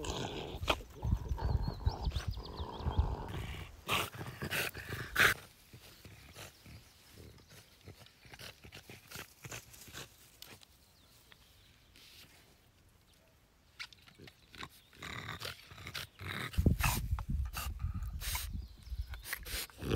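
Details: French Bulldog making a thin high whine and low grumbling snorts in the first few seconds, then quieter rustling and faint breathing before more low snuffles return near the end.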